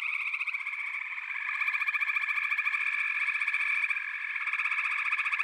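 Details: A frog chorus of rapid, rattling trills overlaps into a constant shimmering drone. The volume rises and falls gently, and individual pulsed callers stand out within the mass.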